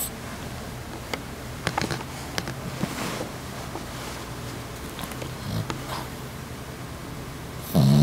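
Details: A female Boston Terrier snores in her everyday sleep, a low, soft rumble rising and easing with each slow breath. A few small clicks sound in a quiet room, and a sudden loud rustle cuts in at the very end.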